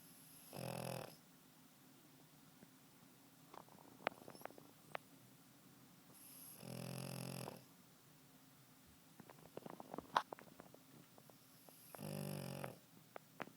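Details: Snoring pug during a loud nap: three rough, buzzing inhalations spaced about five to six seconds apart, with soft ticking and rustling noises in the quiet gaps.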